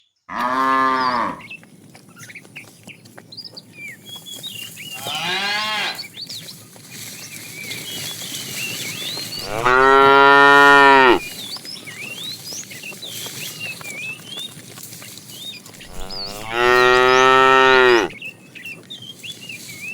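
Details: Fat tame cow calling a female while a herd is driven in the afternoon; four harmonic moos, two short and two long and loud, spaced several seconds apart, with chirping birds throughout the background.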